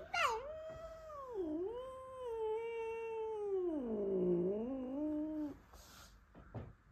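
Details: Indoor house cat O’Mailey growl-yowls in anger at a newly arrived Blue Russian male cat: one long, wavering, moaning caterwaul lasting about five seconds. It dips, holds, sinks lower, then rises again before stopping, with a few short noises afterward.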